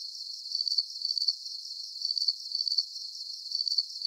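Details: High, shrill cricket chirps, each a rapid cluster of tiny pulses, returning at a regular pace of about two per second over a soft constant hiss, without birds, people or other background sounds.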